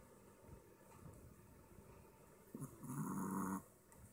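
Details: Short-snouted Apple Head Chihuahua asleep and snoring: soft low breathing, then one loud, harsh, buzzing snore lasting under a second near the end.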